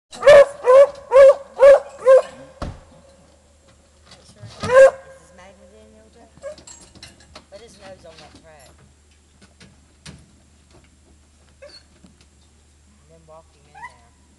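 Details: Hunting dogs on a deer hunt: a fast run of five sharp barks in the first two seconds, one more loud bark near five seconds, then quieter rustling, faint yips and distant voices.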